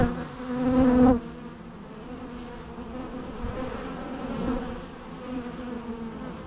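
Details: A bee zooms close for a loud, pitched buzz during the first second, then fades away, leaving a softer hum of many bees droning steadily underneath.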